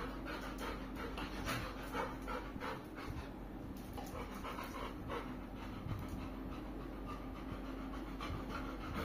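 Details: Kulfie, a pet Labrador Retriever, pants steadily in quick breathy bursts, a soft rhythmic huffing repeated about twice per second throughout, over a constant low hum in the background.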